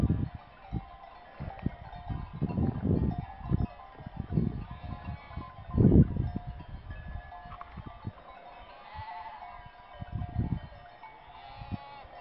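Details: A flock of sheep in the village of Rapesh, Mariovo, Macedonia, bleats now and then, wavering nasal calls over low rumbling thumps and a faint clink of bells.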